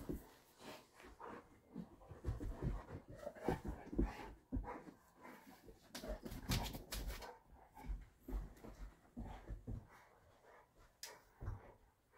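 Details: Dog panting indoors, where the animals present are a 3-year-old female brindle Boerboel and a 1-year-4-month-old female brindle Serbian Defense Dog; breathy huffs come in uneven bursts about twice a second, with soft rustling and shuffling between.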